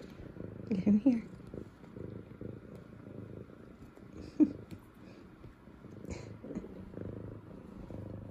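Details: Female F2 Savannah cat named Zara, excited her owners are home from work, purrs in a continuous low rumble while giving two short rising chirp-meows early on; a soft human voice is faint in the room.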